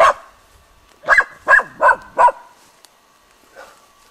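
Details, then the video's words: Dog barking spontaneously at a dead roe deer buck on 21 July 2011: four loud, sharp barks in quick succession, about 0.4 seconds apart, then a single fainter bark after a pause; otherwise quiet. "OBLAJAVANJE MRTVOG SRNDACA"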